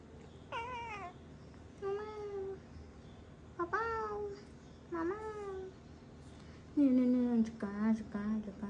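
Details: Domestic cat named Numpav, indoors in Cambodia. It gives a series of five separate meows over about nine seconds, each a clear rising-then-falling cry. The last is lower and longer, and a faint room hum lies underneath.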